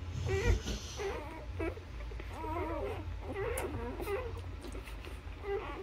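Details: Short, quavering squeals and whines from newborn Labrador Retriever puppies nursing on their mother, repeated in uneven runs, with a soft thump early on and a low hum beneath.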